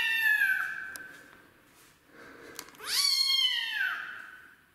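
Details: Rescued street kitten protesting its first bath, indoors; two drawn-out meows, the first long and slightly falling, the second rising sharply then sliding down, separated by a quiet gap with faint clicks.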